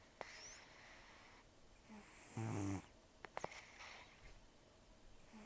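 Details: One short, rough snore from Taro, a sleeping rescued cat estimated at 10 to 14 years old, with quiet breathing and small clicks around it in a calm indoor room.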